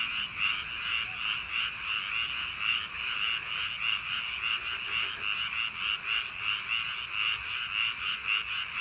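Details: Frogs massed in paddy fields on a summer night, a thick ongoing chorus of fast rattling croaks, with throbbing peaks that come and go irregularly.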